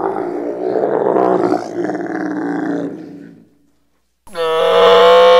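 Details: A camel bellowing: a long, rough, gurgling groan lasting about three seconds that fades out, then, after a short silence, a louder, more tonal moaning bellow begins.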